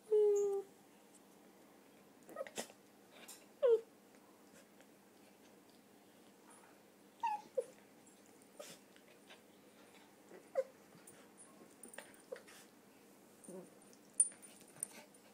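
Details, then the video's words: Red toy poodle Donut, aged three, during her usual play game: a short falling whine opens, then scattered brief whimpers and soft sniffs or clicks over a quiet indoor background. "Donut and Her Whine"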